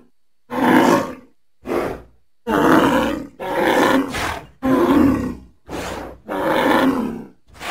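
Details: Seven short, rough roaring bellows from a bull outdoors, each lasting under a second and coming roughly every second, broken by clean silent pauses; gravelly and full-toned, nothing else audible.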